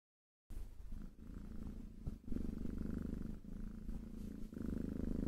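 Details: Domestic cat purring: a steady low rumble starting after half a second of silence, its sound swelling and easing in alternating breath phases.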